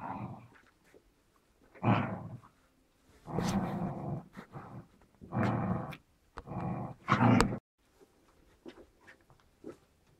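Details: White Großspitz (German Spitz) puppies, seven weeks old, in a litter of five females and one male bred at Villa Bella Berlin, indoors: several low rumbling growl bursts of one to two seconds, separated by short quiet gaps, with faint rustling between.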